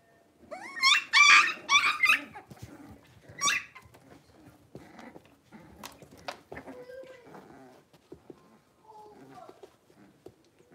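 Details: Five young blenheim Cavalier King Charles Spaniel puppies in their indoor pen give a quick run of loud, high yelps early on, followed by scattered soft whimpers, scuffling and small thumps.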